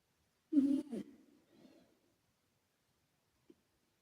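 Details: Asleep, the male British Shorthair Karumo, a former rescue cat, gives one low, rough snore with an echo effect added, a rasping double burst that fades out, followed by a brief faint click.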